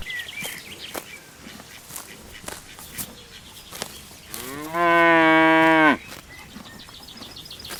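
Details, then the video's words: Longhorn cattle grazing on green rice fields in the Vietnamese countryside: one loud, steady harmonic bellow of about one and a half seconds, preceded and followed by faint chirping birds and soft rustling. "Sound of buffalo, cows bellowing"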